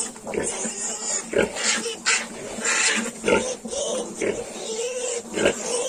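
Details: Yorkshire piglets, 22 days old, squealing in shrill, broadband bursts that come again and again over a few seconds, with a person's voice and some background music mixed in.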